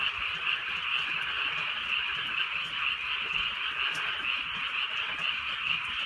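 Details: Frogs croaking together in the countryside on a rainy night, an unbroken, pulsating din of raspy calls throbbing about twice a second, with light patter of drizzle behind.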